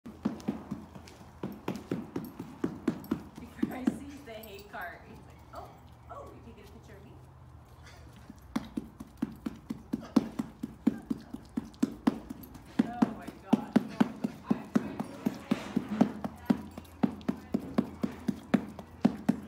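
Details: A male derby horse in his barn claps his lips together when a visitor approaches, making rapid, uneven smacking pops in bursts, and keeps going until told "good boy".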